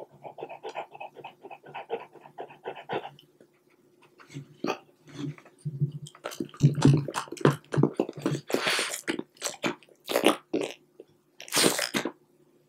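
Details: French Bulldog eating string cheese, recorded indoors at close range: rapid rhythmic panting breaths for about three seconds, then wet chewing, smacking and snuffling noises in irregular bursts.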